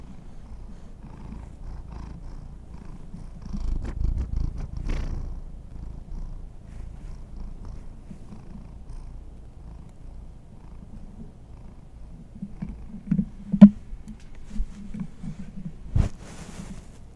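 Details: Pet cats being given treats indoors, recorded close up for ASMR without talking; a steady low rumbling purr runs throughout, swelling around the middle, with a few sharp clicks and taps late on.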